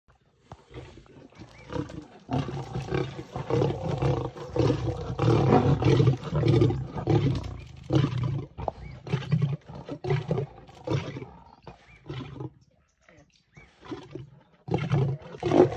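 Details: Lioness up a tree in South Africa feeding on impala remains while a lion tries to climb up and steal it; deep rasping growls and snarls in long rough bursts, with short gaps and a louder snarl at the end.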